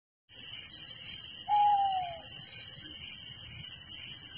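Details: Crickets at night in a village: a steady, dense, high-pitched pulsing chorus throughout, with a single short falling whistle from another animal midway.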